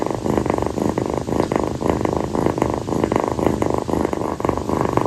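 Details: Purring from Kii, a rescued female calico kitten, settling on her owner's feet one night after play: a steady rhythmic rumble of pulsed bursts, each breath roughly every third of a second, continuous throughout.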